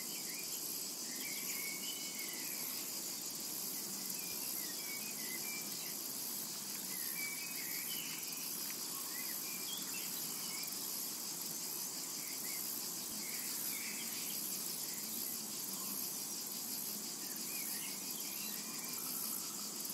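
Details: Summer meadow cicada ambience, an unbroken shrill hiss of insects holding level throughout, while scattered thin bird chirps and short twittering phrases come and go in the background.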